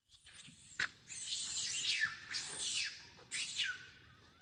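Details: Young monkey craving milk cries noisily: after a sharp click, three high, harsh, drawn-out wails, each sliding downward at its end, over quiet background rumble.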